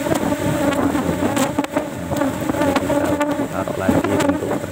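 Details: Apis cerana colony in a cultivation box during a honey harvest, hive opened to take one frame outside flowering season; steady low droning hum with overtones, broken by sharp clicks and knocks from frame handling.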